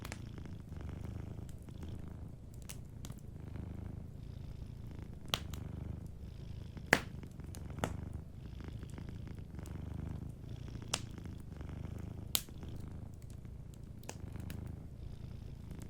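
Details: Sleeping cat purring beside a warm fireplace: a low, steady rumbling purr that swells and fades in slow breathing cycles, with sharp crackles and pops from the fire throughout.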